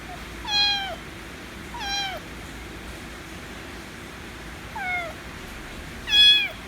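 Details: Loud meows from a white kitten demanding affection: four downward-sliding, richly harmonic calls spaced unevenly over seven seconds, faint room hum behind.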